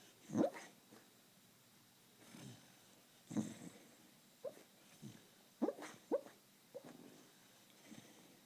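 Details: A male Beagle sleeping and dreaming gives soft, muffled woofs and yips in short scattered bursts while snoring.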